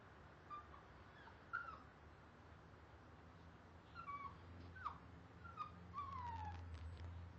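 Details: A Siberian husky puppy, in its first week at a new home, sits at the front door and gives thin, high whining howls, each note sliding downward, in short bursts.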